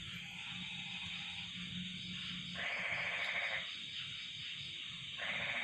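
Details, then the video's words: A cold night with crickets and frogs calling. A continuous high-pitched insect trill runs throughout, a low steady hum sits underneath, and two rasping, pulsed bursts of about a second each stand out. "the sound of crickets and frogs"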